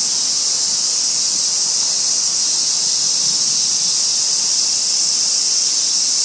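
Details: Wild robust cicada in Kitano, Japan, late August, near a housing estate by the railway; continuous shrill buzzing fills the clip with an even hiss, with no pulses or pauses.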